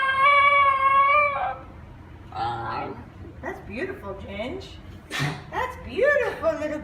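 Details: Talkative female Basenji Ginger Snap, apparently trying to tell something. A short steady yodel is followed by a run of varied chattering whines, grumbles and yips that rise and fall in pitch.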